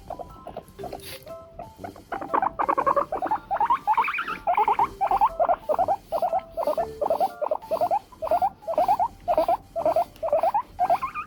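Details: Elderly pet female guinea pig, seven years old and ill with an ovarian tumour, asking to keep being brushed: a long run of short, wavering squeaks in quick steady succession over background music.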